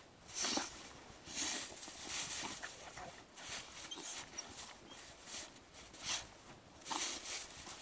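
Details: Bernese Mountain Dog taking its last snow bath of winter: breathy, noisy snorts and puffs come in uneven bursts about once a second, mixed with soft rustling of snow.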